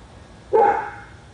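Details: Lone bark from a dog in Royse City, Texas, on Spruce Street, a dog known for barking up to eight hours a day. One clear, slightly drawn-out bark that fades, with faint background hum.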